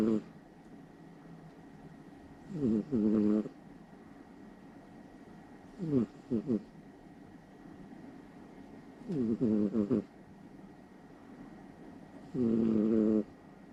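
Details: Somali cat sound asleep beside its owner in the middle of the night, snoring loudly: rough, buzzy breaths with a wavering tone, repeating about every three seconds in short bursts separated by quiet pauses.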